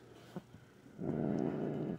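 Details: An upset house cat, grumpy at night while her back nails are trimmed. After a few soft taps, she lets out a short, steady low growl of about one second.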